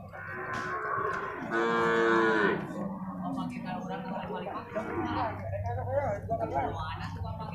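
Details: Bull water buffalo calves at a livestock market in Purwakarta, Indonesia, give a loud, rich bellow lasting about a second. Softer calls, men talking and faint music follow.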